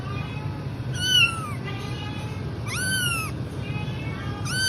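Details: Kitten meowing in short, high, falling cries, three calls about every one and a half seconds over a low background rumble.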